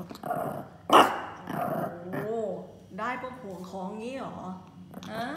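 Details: Pomeranian Yorkie mix dog giving a run of rising and falling whines and low growly vocalisations, some drawn out with wavering pitch, mixed with human speech and a sharp bang near the start.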